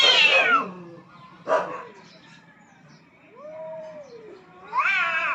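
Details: Rooftop fight between two aggressive cats competing for dominance: a loud yowl fading at the start, a short harsh hiss-like burst, a soft low wavering moan, then a loud rising wail at the end.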